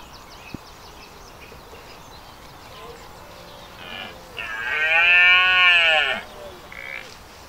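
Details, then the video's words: Red deer during the rut at Knepp Wildland on an evening in sunshine: a long, loud, harmonically rich bellow swelling over about two seconds, preceded by shorter rising moans and a sharp click. "Red deer rut in the evening sunshine"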